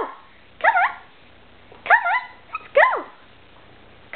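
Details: Excited two-year-old female Irish Terrier, called for a walk, utters bursts of high wavering yelps and whining barks, three main cries about a second apart with a fourth starting at the end, in a quiet indoor setting.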